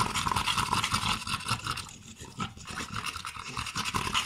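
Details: American Staffordshire Terrier in Svibovec, Podravina, Croatia: fast, breathy rhythmic panting, close to the microphone, about three breaths per second, uneven, with broadband rushing noise throughout.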